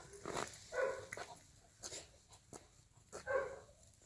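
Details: Golden Retriever puppies at play give two short, high yelping cries about two and a half seconds apart, with rustling and soft knocks between them.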